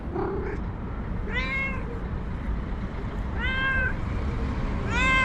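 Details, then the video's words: White domestic cat, female, described as cranky and nervous, uttering three drawn-out meows about two seconds apart, each arching up then down, with a faint brief sound at the start and low background rumble throughout. "Angry White Cat Meows CONSTANTLY and Suddenly Gets Nervous"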